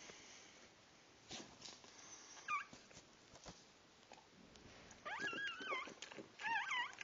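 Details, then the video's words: Newborn puppies during their birth, giving thin, high squeaky whimpers and yips that bend up and down, scattered at first then in a denser cluster near the end, with faint rustling and knocks in a small indoor room. "birth of my puppies"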